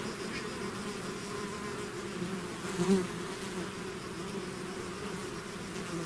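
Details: Honeybee swarm out of its hive, a dense continuous low hum with steady bands near 200 and 400 cycles, one insect passing close and louder around the third second.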